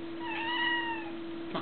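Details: A domestic cat meows indoors, calling for someone to give it lunch; one clear, drawn-out tonal meow that rises slightly and then falls, lasting under a second, over a steady low electrical hum.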